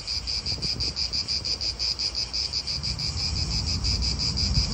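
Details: Rhythmic high-pitched cicada chorus in an Italian park throbs in quick regular pulses, roughly three each second, over a soft low rumble of wind.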